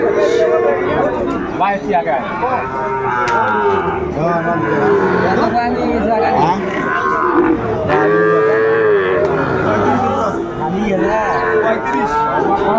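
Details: Sahiwal bull calves for sale at Ambari market, 29 April 2024; repeated bellowing moos, some bending upward, overlap one another amid people haggling over prices and background crowd noise.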